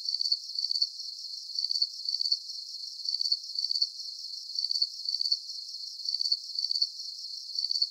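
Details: Crickets chirping in a deep-sleep nature soundscape: bright, shrill pulsed chirps, usually two close together, repeating about every second and a half over a faint high background drone.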